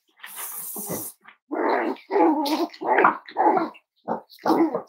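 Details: Five-week-old Cavalier King Charles Spaniel puppies from Myra and Remy's litter at Red Barn Cavaliers, indoors on a chilly Thursday morning: rough, gargling puppy growls in a run of short bursts, with a hiss at the start.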